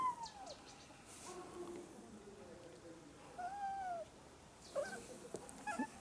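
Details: Jaba, a cat on a high, narrow perch, gives drawn-out meows that arch up and then fall, then a few shorter ones, with faint noises in the background.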